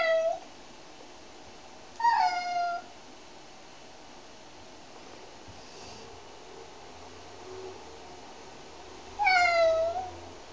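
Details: Domestic cat, one of three cats being shampooed, lets out three separate meows spread over ten seconds, each short and falling in pitch with bright overtones, with quiet room noise in between.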